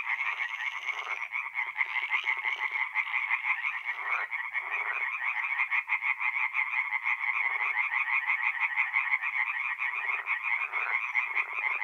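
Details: Many tree frogs calling together at night by a north-east Italian forest pond in mid-April, a fast continuous rattle of pulsed notes broken by scattered deeper croaking bursts.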